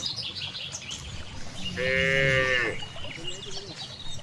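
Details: Grazing cows out in a wide rice field in the countryside; a single sustained, even moo lasting about a second stands out against background hiss, while small birds chirp faintly throughout.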